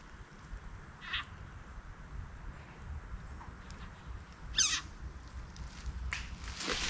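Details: A frog gives short, harsh, scream-like distress cries while held in the mouth of a black racer snake, by an abandoned train track in backwoods on the Georgia coast.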